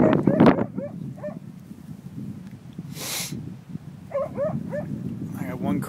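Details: Siberian Husky facing a bison: short, harmonic, whining yelps in two bursts of about three each, wavering up and down, with a man talking at the start and a brief broadband rush between the bursts.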